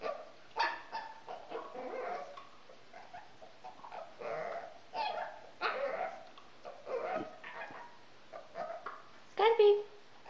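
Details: A male Pekingese gives short, sharp barks and yips in scattered bursts amid human speech during his "yoga", a behaviour he repeats very early every morning and most evenings that his owners consider a problem.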